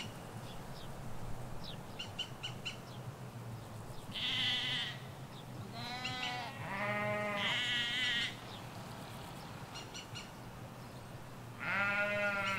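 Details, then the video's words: Ewes and lambs in a field in the Hampshire countryside, recorded in stereo from a hedge: several drawn-out, wavering bleats in quick succession, then a pause and one more, over a low rural hum and faint bird chirps. "Sheep Field - One Hour Sound and Video"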